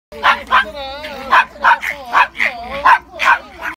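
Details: Pet dog barking: a quick run of about eight short, sharp, high yapping barks spaced under half a second apart, with a brief whiny tone between some of them.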